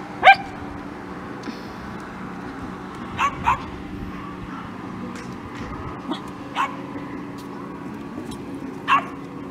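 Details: Scottish Terriers Kimberly and Khloe going about their day, with one loud sharp bark at the start followed by scattered, fainter short barks every couple of seconds over low background hum.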